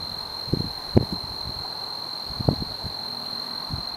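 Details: Tree cricket male singing in the Oldman River valley at Lethbridge, Alberta, a soft, unbroken high tone running steadily throughout, overlaid by scattered low thumps and rustling handling noises.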